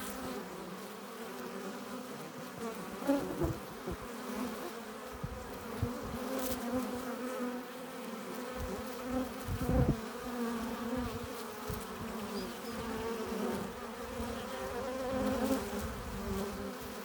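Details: Honey bees entering their hive with nectar and pollen. A steady, many-voiced buzzing drone with frequent short surges and fades as individual bees fly past up close.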